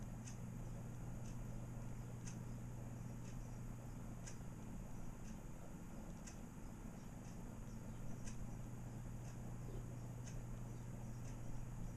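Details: Regular faint ticking about once a second over a steady low hum in a quiet indoor room, with no animal calls heard.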